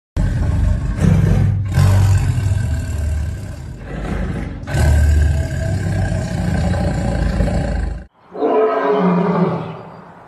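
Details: Tiger in a cage at a zoo roaring: deep, rumbling, drawn-out bursts with a few short gaps, loud and close, ending in a softer, higher-pitched tail.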